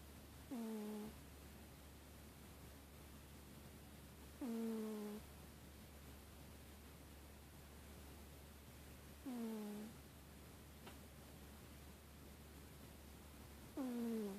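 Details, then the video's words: Euphemia Grey, a pet cat, snoring away asleep on a couch under blankets indoors: soft, nasal snores with a faint whistled, falling tone, repeated roughly every four to five seconds, with a steady low hum behind. "Kitty snoring"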